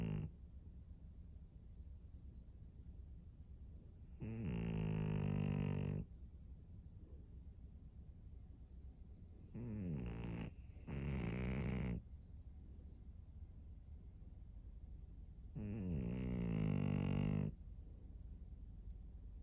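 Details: Snores from Maria, an elderly fawn female pug aged 13, recorded in Japan in March 2024: harsh, buzzy inhalations lasting one to two seconds, one split into two quick parts, with quiet breathing between them.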